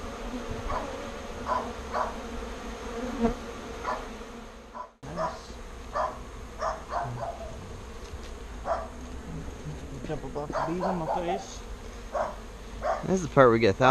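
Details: Bees being rescued and moved from a birdhouse into a real bee box, giving a steady low droning hum throughout, briefly cut near the five-second mark, with scattered quiet human voices and louder talk near the end.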